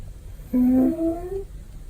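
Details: Domestic male cat snoring loudly and comfortably during a nap: a single drawn-out, nasal, whistly tone of about one second that rises slightly toward its end, then quiet room hush.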